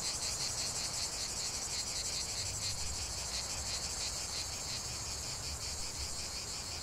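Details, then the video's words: Cicadas in a continuous chorus: a dense, shrill buzzing high in pitch, pulsing steadily about three times a second with no breaks, over a low rumble of background noise. "45 min de chant des cigales"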